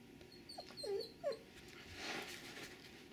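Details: Doberman Pinscher named Sugar Tree meeting a wolf pup: two brief, high, bending whimpers close together, followed by soft rustling and a breathy hiss.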